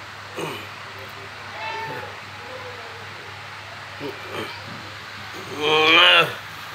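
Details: A pet cat gives one loud, drawn-out harmonic meow near the end, after a few quieter short mews, while a person coaxes it closer in Bengali and mentions a fish head; steady low background hum throughout.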